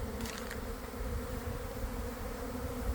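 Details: Honey bee swarm leaving a hive around one in the afternoon, after a week of cold, damp weather, preparing to settle in a boxwood bush; a dense, steady low hum with droning bands, plus a few brief clicks near the start.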